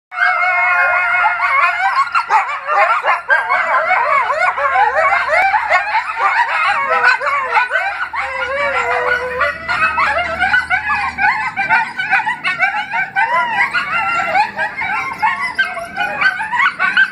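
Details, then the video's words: Four coyotes living at a rescue howl together in the morning. Many overlapping wavering, sliding howls and yips blend into a dense, continuous chorus that lasts throughout the clip. "Good morning howling coyotes !"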